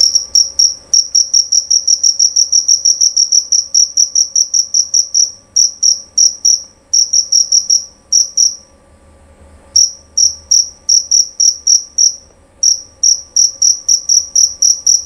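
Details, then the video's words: Loud, clear jerabang cricket, a male, chirping in long runs of rapid, shrill, evenly spaced pulses. The song breaks off for about a second partway through, then resumes at the same brisk pace over a quiet background. "Bunyi Suara Jangkrik Jerabang Nyaring dan Jernih"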